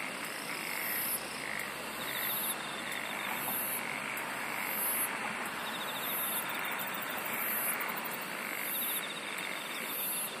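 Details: A chorus of singing insects. Very high, piercing buzzes pulse at a regular pace over a thick background hiss, joined by fainter rattling trills and muffled croak-like calls lower down.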